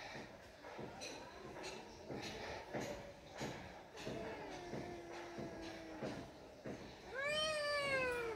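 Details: A cat gives one loud, drawn-out meow that slides downward in pitch near the end, after several seconds of softer voices and indoor background sounds.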